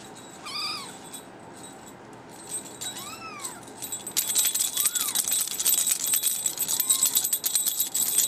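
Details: Young male kitten, brown tabby and white, meowing four times: high arched mews, the first strongest and later ones softer, spaced about two seconds apart, with jingling and rattling noise from the middle onward.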